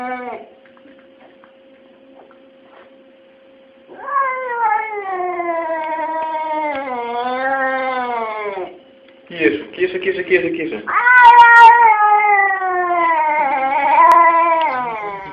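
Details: Pair of talking domestic cats trading long wailing meows: a drawn-out bending yowl, a brief pause, then a second cat answering with a louder, extended wavering call in a quiet room.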